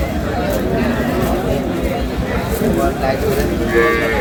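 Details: Improved-breed dairy cows and calves for sale at Aftabganj cattle market, Dinajpur, Bangladesh, 12/5/26; a low lowing moo rises from the herd, buried in the steady hubbub of traders bargaining and crowd chatter.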